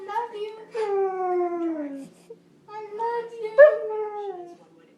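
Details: Cujo, a pet husky-Malamute mix dog known for doing a lot of talking, gives drawn-out, wavering howl-like vocalisations that slide gently downward, in two long phrases separated by a short pause, indoors with no other clear sounds.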